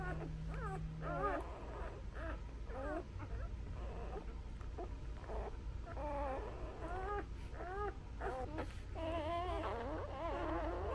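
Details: Labrador Retriever newborns suckle from their mother while crying in quick, broken whimpers and rising squeaks, many overlapping, growing busier toward the end, with a low hum underneath.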